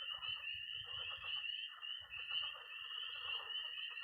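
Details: Early-spring Missouri pond at night, packed with peeping tree frogs, high-pitched trilling toads and croaking frogs; the shrill peeps form an unbroken band above a continuous trill, with soft low rumbles underneath.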